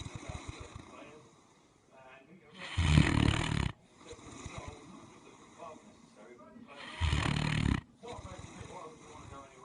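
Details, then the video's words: A sleeping Great Dane snoring loudly, each deep, rasping breath swelling into a roaring burst about four seconds apart, with quieter rough breathing in between. "Your Average Great Dane in its habitat snoring!"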